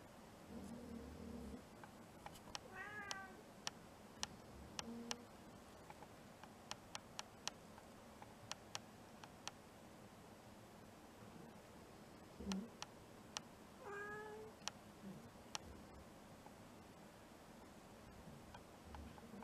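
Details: Cow-patterned mixed-breed house cat about four years old, in a suddenly clingy, affectionate mood, July 2021: two short wavering meows near three and fourteen seconds, soft indoor hum and scattered sharp clicks between.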